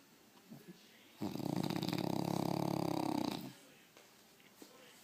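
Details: A French Bulldog, asleep with his eyes open, gives a long, loud, rattling snore, a rapid fluttering buzz lasting about two seconds.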